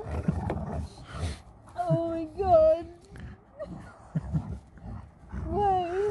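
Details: Alaskan Malamute Sherpa getting mad during a love-hate squabble with the family's daughter: wavering, wobbling woo-woo howls in two bursts, pitch bending up and down, with Spanish speech and a brief clap nearby.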